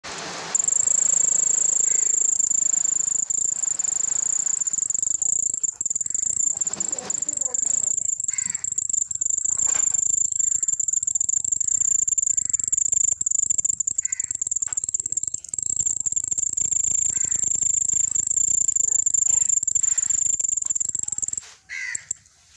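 A cricket gives a steady, shrill, high-pitched trill that continues almost unbroken, then stops abruptly.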